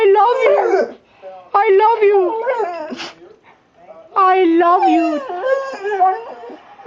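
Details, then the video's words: American Pit Bull Terrier kept as a pet, 'talking' indoors in three loud bursts of whiny, yodel-like vocalizing, each sliding and wavering in pitch, separated by short quiet gaps. "weird noises my dog makes"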